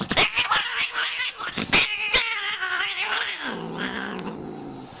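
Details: Harsh cat caterwauling and growling, a rough, wavering yowl broken by sharp clicks and knocks, ending in a lower, sinking moan.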